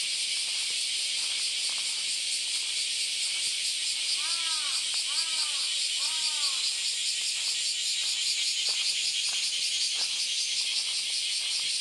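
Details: Dense cicada chorus on Kyoto's Philosophy Path, Japan, one August Sunday morning: a steady high hiss with a quick shimmering pulse. Three short arching tonal calls from another source rise briefly midway, with scattered light ticks below.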